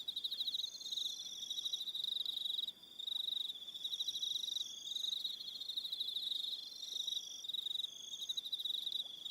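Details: Crickets calling in the evening on Aroha Island, New Zealand, a continuous shrill trilling band with rapid pulsed chirps layered above, dropping out for a moment near the middle before the chorus swells again.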